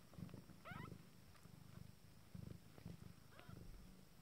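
Nine-day-old Abyssinian kittens purr in low, steady pulses, broken by a few thin, wavering mews.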